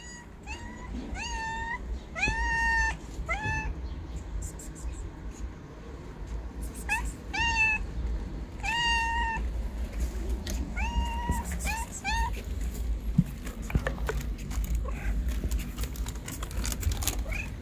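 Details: Stray kitten begging for food near a store while people pass by on the street: a series of clear, high, slightly wavering meows in quick clusters, about a dozen over the stretch, over steady low traffic and street rumble.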